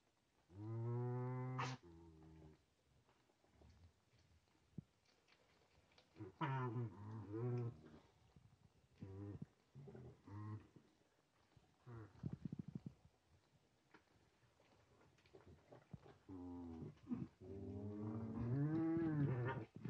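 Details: A farm group of nutria, one male newly placed with eleven females and keeping others from the food. Deep harmonic moans, some wavering and rising, come in bursts separated by quieter stretches of faint clicks and shuffling.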